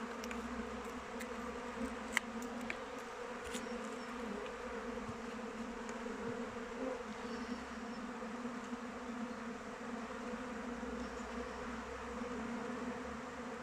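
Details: Swarm of honey bees circling their hive in open weather, continuous layered buzzing hum, brief clicks and taps in the opening seconds, then an even drone.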